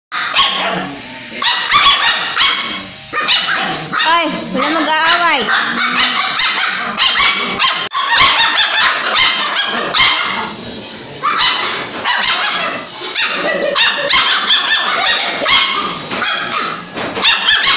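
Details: Five-week-old Alaskan Malamute puppies from a litter of eight squabble in a cage with high whines, yips and short barks, arguing over who bathes first, with human voices mixed in.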